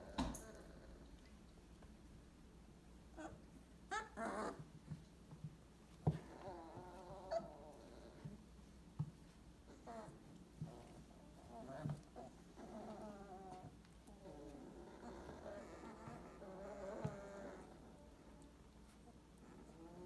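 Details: Litter of 22-day-old purebred Weimaraner puppies from 2018 whimpering. Scattered wavering whines grow longer and more insistent toward the end, mixed with bumps, clicks and a low background hum.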